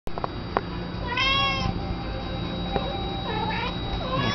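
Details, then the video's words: A pet cat meowing at a cabinet indoors: one drawn-out, slightly rising-then-falling meow, then fainter short mews, over a steady electrical hum; a person's voice follows. "meows at cabinet"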